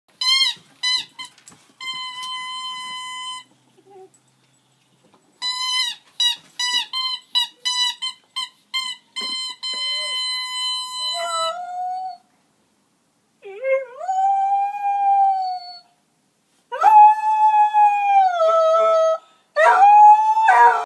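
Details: Female dog howling in response to a new toy indoors: clear electronic toy tones with sharp starts and stops fill the first half, then long, drawn-out, gently sliding howls rise and fall in three bursts.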